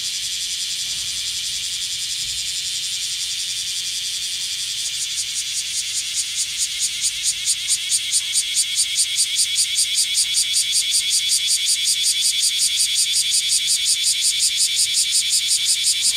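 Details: In Kyoto's hot summer, a black cicada's high hiss begins as a steady wash, then swells after a few seconds into a strong, rhythmic pulsing buzz, roughly 160 beats a minute, growing louder toward the end.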